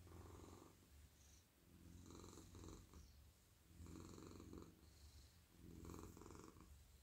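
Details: Male domestic cat purring at night while being stroked on the head, neck and body as he melts in a lap; a steady low rumble swells and fades in breathing phases roughly every two seconds, with faint soft stroking sounds.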